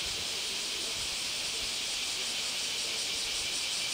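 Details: Bear cicadas in Kyoto starting up their shawa-shawa calling the moment rain stops: a dense, continuous high hissing buzz with a faint rapid pulsing, filling the air without pause.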